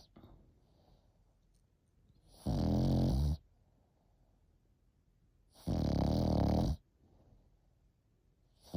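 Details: A French Bulldog puppy of 8 months sleeps and snores: two loud, rough, throaty snores about three seconds apart, each lasting around a second, with faint quiet breathing between.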